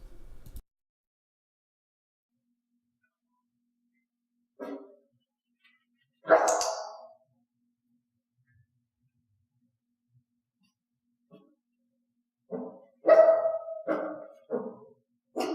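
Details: Dog in clicker training where only loud piercing barks are rewarded: scattered barks of varying strength, a short one, a loud bark near the middle, then a cluster of four or five barks near the end, with long silent gaps.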